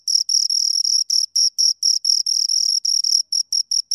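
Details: Two crickets stridulating: longer buzzing trills of high chirps early, then shorter, more separated pulses toward the end, shrill and bright, no background noise.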